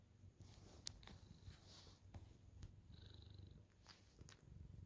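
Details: Senior tabby cat, happy to see her owner, purring while kneading; low continuous rumble with scattered soft clicks and rustles of paws on fabric, a faint higher tone midway.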